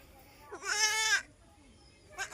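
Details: A single quavering bleat from an Osmanabadi goat on a Shirdi goat farm that also keeps local gavran goats. It lasts about half a second and is strong and tremulous, followed by quiet and the start of another bleat.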